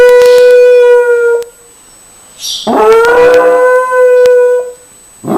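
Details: Dog howling loudly: a steady, tonal howl ending after about a second and a half, then a rough, breathy onset rising into a second long, even howl, with a short harsh sound at the very end.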